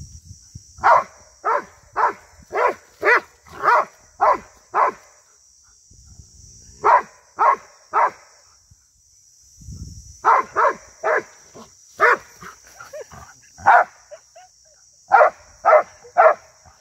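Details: Rhodesian Ridgeback attacking cattle, 2022: long series of evenly spaced barks about two per second, pausing briefly with a low thump, then resuming in further runs over a steady high hiss.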